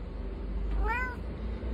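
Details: Domestic cat giving a single meow, a short rising-then-falling whine lasting about half a second, over a low steady background hum.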